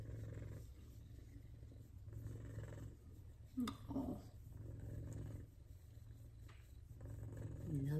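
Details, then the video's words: F2 Savannah cat purring while being petted, a low steady rumble in cycles of swelling and fading, broken once by a brief high voice sound and soft affectionate human speech. "F2 Savannah Cats Big Time Loving And Purrs"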